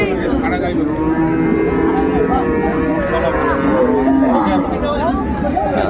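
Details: Cows and calves for sale at the Ambari cattle market in Dinajpur on 31 January 2025: a drawn-out, level lowing moo sits under dense crowd chatter and bargaining voices.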